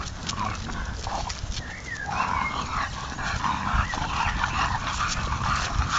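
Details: Three English bulldogs out on a walk snuffle and snort, with a brief high whine rising through the noise of footsteps outdoors.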